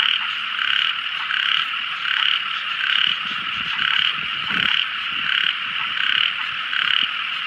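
A small frog gives bright, buzzy calls that swell and fade in a steady rhythm, over a constant night chorus.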